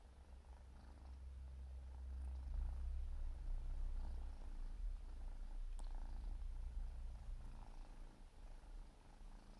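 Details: Siberian forest kitten, four months old, grooming itself: deep continuous purring, loudest between two and five seconds, with faint rhythmic rustles of licking above it and one brief click near six seconds.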